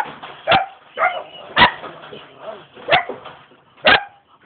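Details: Young German Shepherd dog in Jamaica, described as ready to attack, gives four loud, sharp barks spaced about a second apart, with faint voices murmuring between them.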